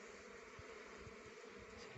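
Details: Honey bees gathering rhododendron nectar for honey. A soft, even buzzing drone is held for two seconds, with faint low thumps underneath.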